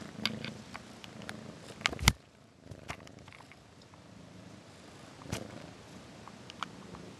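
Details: Domestic cat purring: a low, steady rumble pulsing in a quick rhythm, broken by sharp clicks and rustling handling noises, with one loud crack near the two-second mark.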